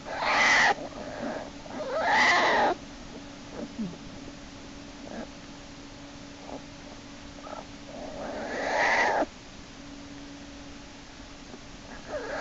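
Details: Inside Lily's den, March 1, 2011: American black bear cub Jason kicks and screams while Hope drags him back by his back leg. Three loud, rasping wails, each a second or more, with soft scuffles and a constant hum between.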